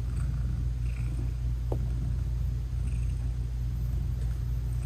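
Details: Mother British Shorthair cat purring to her tiny newborn kittens while nursing; a continuous deep rumbling purr fills the clip with an even pulse, and one brief faint squeak rises near the middle.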